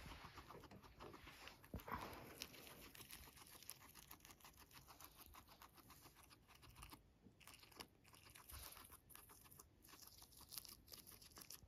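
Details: Max, a domestic guinea pig, munching dandelions in a small room. Fast, irregular crunches run at about three or four bites a second, with brief pauses and louder snaps of stems now and then.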